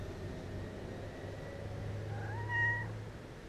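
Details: Playful kittens; one short meow near the end, rising and then held steady, over a continuous low hum.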